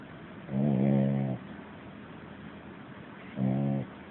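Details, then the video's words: A little puppy snoring in its sleep: one long grumbling snore near a second in length, then after a quiet gap a shorter, lower buzzy snore, over soft steady hiss. "Cute Puppy Sleeping and Snoring Louder Than A Man!"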